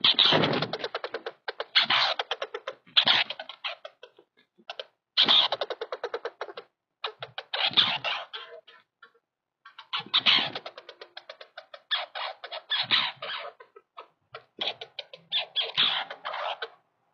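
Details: Douglas squirrel (Tamiasciurus douglasii), territorial chatter: territorial dispute between a male and a female.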